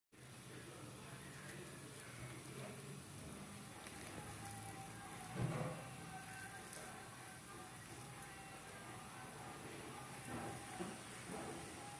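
Steady broadband hiss with a thin high whine, low hum, and a single soft knock midway.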